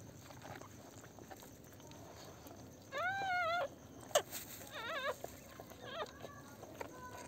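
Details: Newborn Pomeranian puppies on their first day after a home delivery: a wavering, whining whimper of about half a second, then shorter squeaky cries that bend up and down, over a soft background of clicks and rustling.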